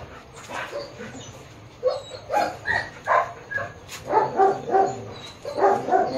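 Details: At a Baguio City dog shoot on October 21, 2023, a Japanese Akita barks in a loose series of sharp, fairly regular yelps over steady low background noise and a faint high hum.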